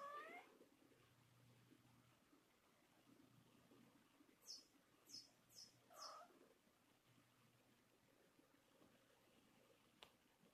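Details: Red-tabby-point male Thai cat, born December 2013, complaining out of jealousy while a younger Thai cat plays with a toy mouse: a rising drawn-out meow at the start, then a shorter meow near six seconds, amid bursts of high chirping squeaks.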